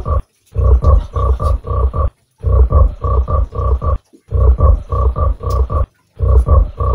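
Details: Low, grunting croaks from a giant frog, pictured with a mud fish, delivered as rapid clusters of five to six pulses, broken by short silent gaps and repeating every couple of seconds.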